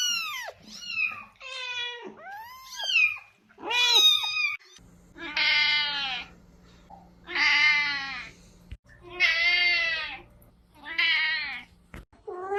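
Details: Domestic cat meows for attracting cats: quick high-pitched kitten-like mews with sharp upward sweeps, then four longer, louder drawn-out meows over a steady low electrical hum.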